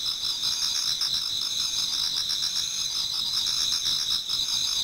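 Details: Many autumn insects singing in a Japanese garden towards dawn: a dense, unbroken chorus of high, shimmering trills, several overlapping pulsed voices holding steady high pitches with a faint rhythmic throb throughout.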